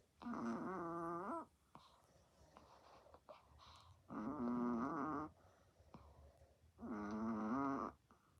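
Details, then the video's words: Sleeping Chihuahua snoring very loud, with another dog sleeping nearby; three drawn-out, groaning harmonic snores of about one second each, spaced roughly every three seconds, with quiet breathing noise between them in a small indoor room. "Creepy snoring dog"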